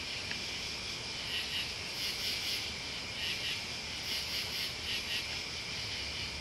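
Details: Crickets and other bugs in a steady night-style chorus: high, shimmering pulsed trills layered in several bands, swelling in brief buzzy bursts roughly every second or two, with no other clear sounds.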